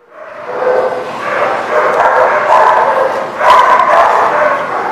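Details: Dogs barking at a lot on 10/11/19: dense, overlapping barks merging into a continuous loud chorus, steady throughout with a brief swell near the end.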